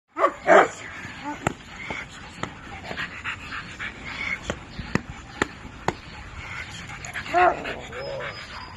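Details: Cane Corso in protection training: a pair of loud, deep barks burst out at the start, a further bark-like cry comes near the end, and a person talks between them over a string of sharp clicks.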